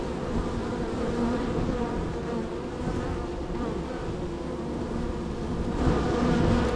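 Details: Extremely active honey bee hive, third on the row, with bees entering and departing; a rich, steady hum of many wings, slightly louder near the end as bees pass close.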